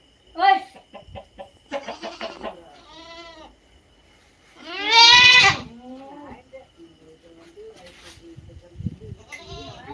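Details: Native country goats (nattu vellaadu) in Tamil Nadu style herding, giving a series of wavering, nasal bleats: short ones early on, then one loud, drawn-out quavering bleat midway, followed by softer bleats and low background murmurs.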